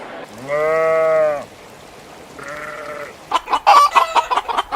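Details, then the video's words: A cow on a farm gives a low, steady moo lasting about a second, then a fainter second call, followed by a run of harsh, choppy farmyard calls. "Sounds of farm animals, cows"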